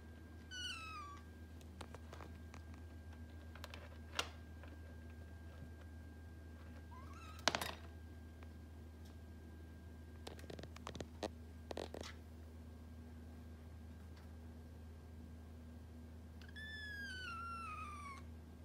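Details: Norwegian Forest Cat meowing indoors while getting closer to a kitten: a few short, falling, high-pitched meows near the start and again at the end, with clicks and knocks between them over a steady low hum.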